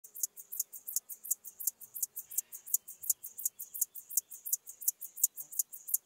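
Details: Field grasshopper, Chorthippus apricarius, at Moosham, Austria, on 9 October 2020, captured through a Pettersson D 100 ultrasound detector: high, hissing chirps repeated steadily about three times per second, each short pulse sharp and evenly spaced, over a quiet background.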